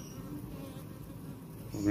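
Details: Honey bees (Apis mellifera) at a backyard hive while a beekeeper removes a queen cell: a steady low droning hum throughout, with a louder burst of noise in the last moment.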